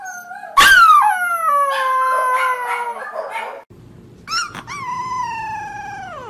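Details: Young puppy practising its howl gives a sharp yip that breaks into a wavering, falling howl. After a short pause it adds a second yelp and another sliding, descending howl.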